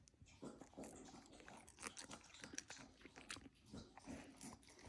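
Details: Siberian huskies eating Icelandic cod skin treats, which they love: repeated crunchy bites and wet chewing in quick irregular bursts, with sharp clicks between them.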